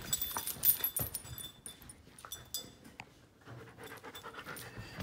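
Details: One-year-five-month-old giant schnauzer breathing hard, rapid irregular huffs and pants, louder at the start, with some handling or rustling noise.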